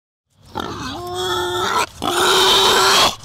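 Wild boar giving two drawn-out, strained squealing cries, each over a second long, with a brief break between them and no other sounds.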